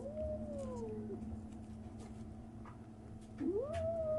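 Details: A 37-day-old kitten's strange noises: a gliding meow that slides downward, a second of quiet, then a cry that rises sharply and holds, with a low hum underneath.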